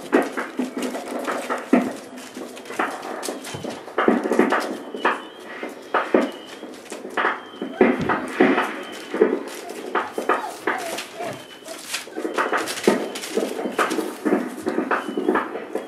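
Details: Indoors with mother Aston, four-week-old Boerboel pups give scattered whimpers and faint whines among busy rustling, scrabbling and occasional human speech throughout.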